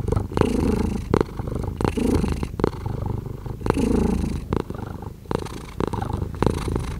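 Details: Pet cat purring quietly nearby, a gentle low rumble with breathy swells and short rasping accents between breaths, steady and unbroken.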